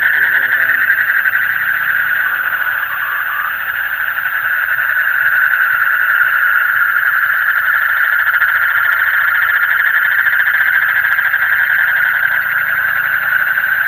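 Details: A mass of frogs calling in the deep night, rapid buzzy pulses blending into a continuous even hum, with faint low rumbles underneath.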